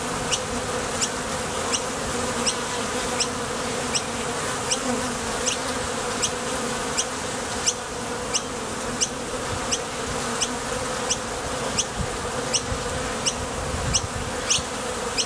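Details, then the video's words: Many honey bees flying to and from the entrance of a Top Bar Hive on nectar trips; a thick, even hum persists while short bright ticks repeat roughly every second. "Bees Sound Effects"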